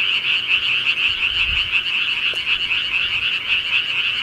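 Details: Night chorus of rural frogs: many overlapping high trilling croaks form a continuous pulsing wall of sound, with a faint low bump near the middle.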